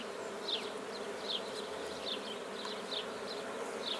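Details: Black bees at a newly started hive in Guernay, Côtes-du-Nord, France: a steady, dense buzzing hum throughout, with short high chirps recurring roughly every second over the drone.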